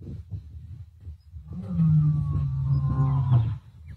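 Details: At Plains Camp, Sabi Sands, Kruger area, on 5 November 2023, a male lion gives a deep, drawn-out roar to contact his brother, who might be somewhere in the area.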